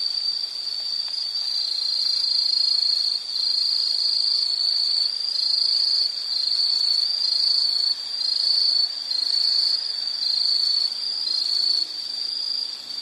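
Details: A continuous high insect trill meant as a soothing nature background, pulsing gently in loudness, with short dips roughly every second or two and faint higher-pitched insect tones layered above.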